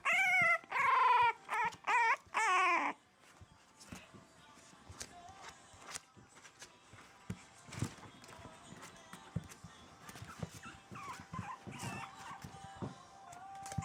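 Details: Four-week-old French Bulldog puppies, exploring for the first time away from their mother for a few hours, give loud, high whining cries in four quick rising-falling bursts over about three seconds, followed by quieter scuffling and faint whimpers.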